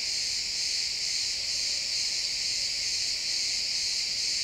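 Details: At sunset in a pine forest, many crickets keep up an unbroken high-pitched shimmering chorus of rapid chirps, even in loudness throughout, with no birds or other noises standing out.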